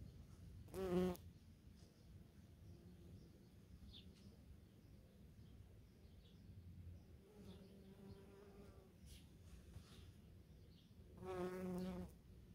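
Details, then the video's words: Bees and bumblebees foraging on false stonecrop flowers in a garden plot in Germany. Short, low, droning buzzes pass by near the start, middle and end, with quiet garden background between them. "Очиток ложный, шмели и пчёлы"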